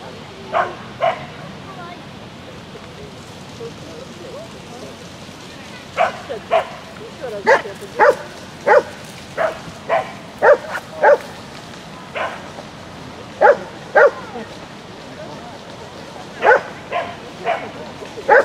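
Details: Shetland Sheepdog Lesya barking through an agility course run, May 2016: rapid bursts of sharp, clipped barks, often in pairs and quick runs, roughly twenty a minute, with talk in the background.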